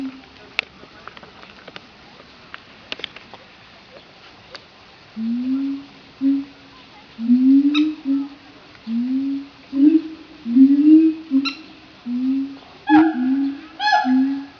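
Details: Siamangs kept in Opole Zoo, Poland, in a noisy bout of calling: a few seconds of faint clicks, then a steady series of low, upward-sliding hoots roughly once a second, with higher ringing barks joining near the end.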